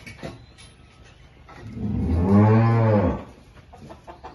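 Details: A deep moo from Holstein cattle with calves during milking on a Salvadoran farm. The call lasts about a second and a half, swelling and then fading on a low, slightly arching tone, with scattered knocks and farmyard noise around it.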